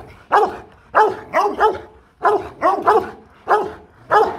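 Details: Rottweiler guard dog at the Gervi Rottweiler kennel in Vietnam, giving deep, powerful barks in loose bursts of two or three, about eight barks in four seconds, with quiet pauses between.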